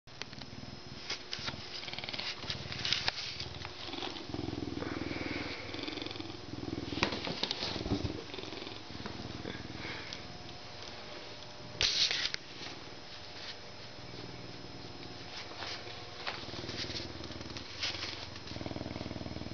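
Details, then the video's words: Canada lynx purring: a low, rough rumble that swells and fades in uneven stretches, broken by scratchy rustling, a few sharp clicks and a brief bright noise burst near the middle. "Luchs schnurrrt und miaut"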